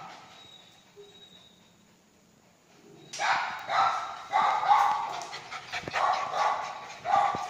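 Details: Lhasa Apso dog barking while playing: about three seconds of near quiet, then a rapid run of sharp, high yappy barks, several per second, some overlapping.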